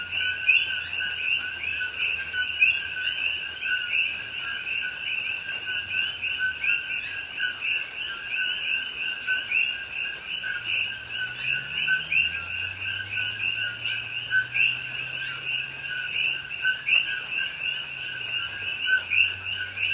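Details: Dense night chorus of many coqui frogs in a Hawaiian rainforest in rain at Pahoa, October 2021: overlapping two-part chirps, a lower note then a higher upswept one, endlessly repeated, over rain hiss and a low gliding hum.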